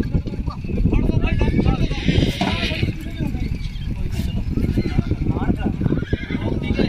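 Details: Horse neighing at Hanumangarh while a filly foal's leg is trapped in a vehicle during unloading; a wavering, quavering whinny lasting about a second rises over loud men's voices, shouting and handling clatter.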